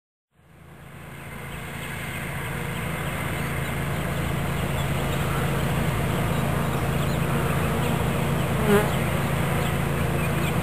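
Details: Swarm of bees being captured into a new hive body in Watkinsville, Georgia; a dense, steady low droning hum swells in from silence within the first second and holds unbroken and even throughout.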